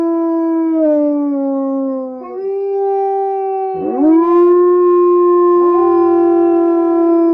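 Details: Wolf howling in long, drawn-out tones. One voice slides slowly downward and then breaks. A second voice starts lower and rises near the four-second mark, and another rising howl joins near the end, so the voices overlap in a sustained chorus.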